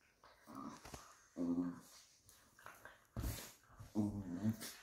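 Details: Fell terriers Obscura and Estacado, Patterdale Terriers, play-fighting indoors, giving short rough growls and snarls in several bursts, mixed with scuffles and a sharp bumping noise.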